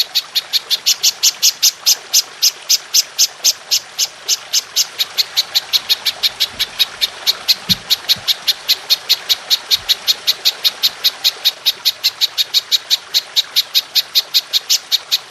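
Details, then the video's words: Golden grasshopper (belalang emas) in a long-firing 'nembak panjang' recording used as a tutor for training songbirds: sharp, high-pitched pulses repeat steadily about three times per second, evenly spaced throughout, over a faint background hiss. "Belalang Emas Nembak Panjang"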